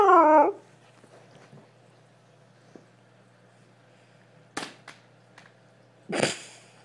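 A Siberian Husky lets out a short, warbling whine that bends up and down in pitch, the kind huskies use when demanding attention. After it comes near silence, broken by a few soft knocks and rustles.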